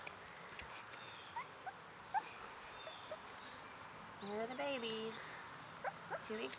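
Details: Two-week-old American Bulldog puppies giving thin, high whimpering squeals that waver up and down, a few brief ones early and a longer run of wavering whines near the end, with a woman talking nearby.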